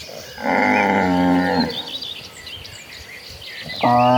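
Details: A cow in a herd of cattle walking toward the pasture in the late afternoon gives a long, deep moo, then another begins as birds chirp faintly behind.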